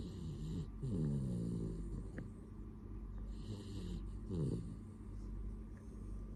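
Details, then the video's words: Sleeping dog snoring: low rattling, harmonic snores around one second and again near four and a half seconds, with soft breathing and a steady background hum between. "Snoring dog"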